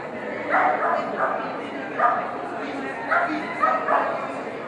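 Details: Irish Setter Seamus gives about six short, harsh barks in loose pairs during a Master Standard agility run on 21 September 2013, over a steady murmur of human voices.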